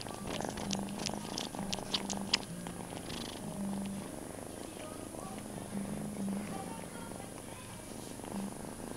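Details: Purring foster kitten held in arms indoors, licking hands, with its mother and littermates around a cat bed and cat tree; low steady purring with rustling and scattered soft high clicks.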